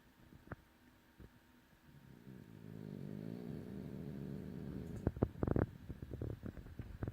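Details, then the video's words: A sleeping French bulldog snores with one swelling, low, vibrating rasp that grows over three seconds, then breaks into snuffling bursts and soft clicks, with a steady indoor hum underneath. "Snoring French bulldog sleeps life away"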